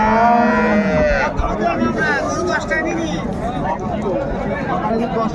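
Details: Dairy cow or calf of an improved breed at Raniganj cattle market, Dinajpur, Bangladesh: one long, low, steady moo that falls slightly in pitch at its end, followed by men's voices and market chatter.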